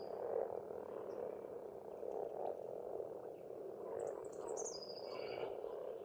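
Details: Spring chorus of many frogs at a pond in Estonia, a steady rolling croak that pulses softly throughout, while a bird adds a brief high descending whistle near the end.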